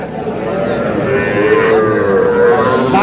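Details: Young bulls and heifer calves at a cattle market in Madaripur, bought by a farmer; a sustained, slightly wavering moo held for about three seconds over a bustle of voices.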